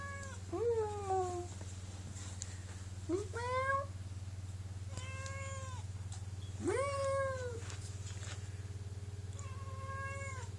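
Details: Two domestic cats exchanging meows indoors, one held in arms; five drawn-out meows, some falling in pitch, some rising then level, over a constant low hum.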